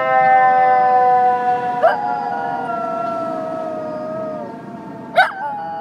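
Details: A schnoodle howls back at fire engine sirens, giving a long, sustained, rich-toned howl that wavers and slowly slides, broken by two sharp clicks about three seconds apart.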